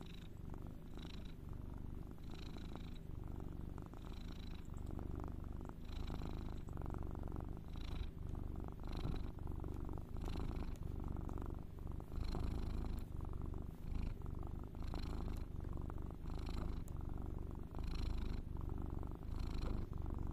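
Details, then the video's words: Cat purring steadily, a deep low rumble with regular breathing cycles about every second and a half, each breath bringing a faint higher hiss; continuous throughout, no other sounds. "Soothing sound"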